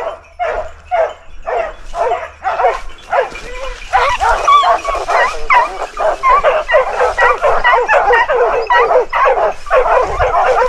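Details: Dogs holding a large wild boar at bay in Ribagorza, Huesca, Spain; loud, frantic barking and yelping from several dogs in quick succession, some higher whining yelps mixed in.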